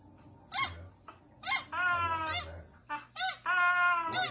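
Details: A female Husky-Samoyed mix that howls only when she hears a squeaky toy gives steady, mid-pitched howling moans between sharp, high squeaks of the toy.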